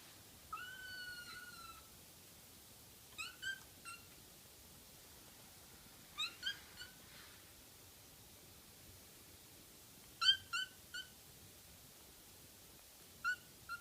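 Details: Young pet kitten, recorded by its owners to keep its kitten voice, giving a drawn-out high meow, then short clipped cries in twos and threes, like 'kya, kya, kya', every few seconds against a quiet hiss.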